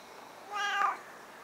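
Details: Nabi, a 10-year-old stray cat who followed a grandmother after her secret move, meows while she talks with it: a single clear, tonal meow about half a second long, slightly falling at the end, over quiet room hiss.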